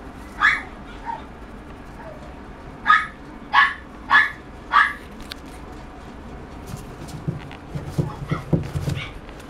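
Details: Toy Poodle (Canis familiaris), barks.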